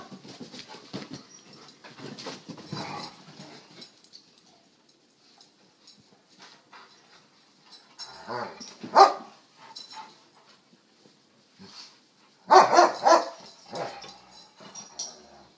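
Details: Playing German Shepherds: shuffling and low murmuring noises, then a sudden sharp vocal burst midway, and later a louder rasping, growly bark sequence lasting about a second before quieter rustling resumes.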